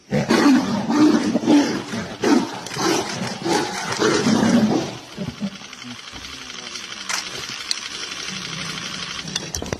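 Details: Tiger roaring in deep, rasping bursts for about five seconds, then quieter fading rumbles with background noise and a brief voice.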